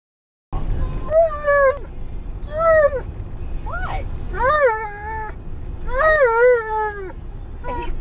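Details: Tonka, an Alaskan Malamute, travelling in a car with a baby, whines through a car trip. Loud, tonal, rising-and-falling whines repeat about every one to two seconds, some sliding up sharply, over a steady low engine rumble.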